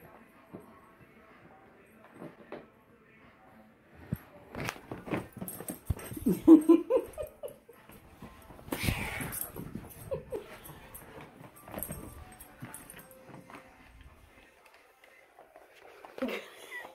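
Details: Tonka, a pet Alaskan Malamute, vocalizes while stealing ice cream indoors: a quiet start, then a run of wavering whines and grumbles mid-clip with a loud burst near nine seconds, a woman laughing and talking throughout.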